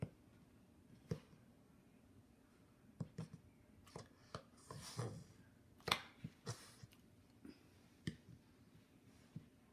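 English Bulldog puppies hiccuping, with soft, abrupt clicks and hics repeating at uneven intervals in a quiet room.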